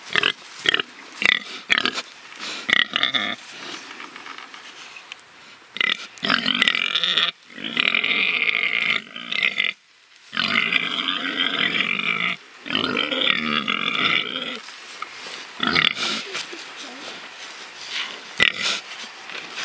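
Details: Pigs spared from slaughter and living freely, rooting about; dense run of harsh squealing and grunting in long bursts with brief gaps, several animals overlapping, loudest through the middle section.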